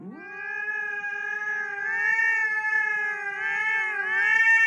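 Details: Cat giving one long, sustained meow lasting over four seconds, a steady tone with rich harmonics that swells slightly and wavers near the end, with no other sounds.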